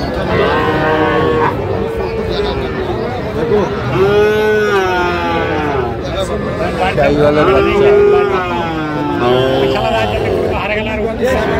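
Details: Cattle market in Gopalganj, Bangladesh, on 22 July 2025, where Sahiwal bull calves are for sale: repeated mid-pitched moos, a few sustained and level, among constant human speech and crowd hubbub.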